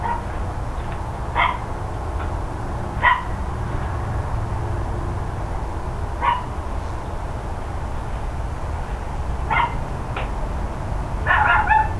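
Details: Neighbours' dogs recorded on 13 October 2012, between 9:57 and 10:05 in the morning: five short, sharp barks or bark pairs spaced irregularly, a few seconds apart, over a steady low rumble of background noise.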